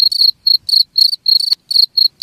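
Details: Cricket giving shrill, tonal chirps, played to repel rats: roughly eight short ringing bursts in just over two seconds, some slightly longer than others, with a faint click midway and nothing else audible.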